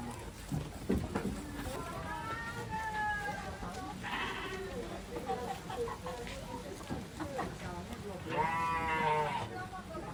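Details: Farm goats, a family of kid, mother and father, give two wavering, quavering bleats: one drawn-out cry early on and a shakier, rougher one near the end, with people chatting throughout.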